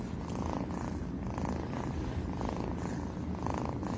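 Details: Domestic cat purring steadily, a continuous low rumbling throb with soft rhythmic pulses of breath every second or so, close and quiet, filling the whole stretch with no other sounds.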